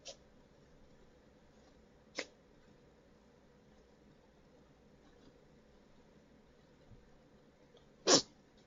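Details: A four-month-old mini Dachshund puppy that could not stop sneezing: short, breathy, hissing sneezes spaced seconds apart, the last one the loudest, over a quiet background.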